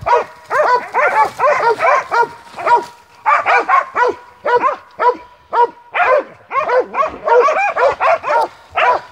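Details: Montenegrin Mountain Hounds from kennel Sutorman barking while hunting: rapid, rhythmic bursts of bell-like baying, about two per second, sometimes overlapping, with brief pauses between runs.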